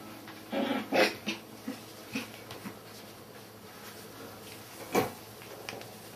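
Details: Border Collie puppies, one of a litter of five born at the Sakura Garden dog run in Okayama City, Japan, give short high whimpering yelps indoors, a cluster near the start and another single cry later, with quiet room noise between.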